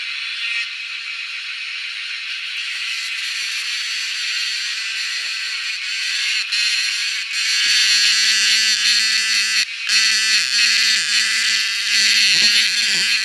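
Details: Wild cicadas being hunted, their shrill, high drone growing louder and rougher over time, briefly broken twice, with a low humming tone and faint rustling creeping in during the second half.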